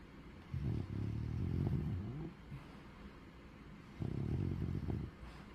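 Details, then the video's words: Bubba, a pet pug, sleeping and snoring: two long, low rumbling snores with a throaty, rattling texture. The first lasts nearly two seconds, the second just over one, separated by a quiet breathing pause. "Bubba snoring"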